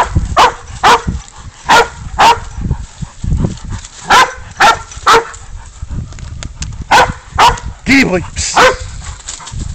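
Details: Spud, a dog, bays up a goat in a catch-and-release hunt: loud, hoarse barks in uneven bursts, roughly two per second with short gaps, while a man urges him on and music plays faintly.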